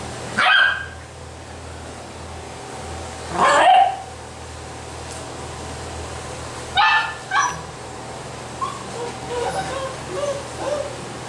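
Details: Basset Hound puppies at a Brazilian kennel giving a few separate sharp barks several seconds apart, followed by a cluster of softer short whimpering yips, over a steady low hum.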